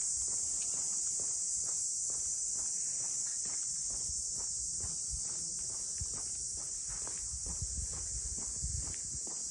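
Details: Cicadas droning in Ine no Funaya, the port boathouse townscape north of Kyoto: one steady, high, hissing buzz that never breaks, with regular footsteps of someone walking beneath it.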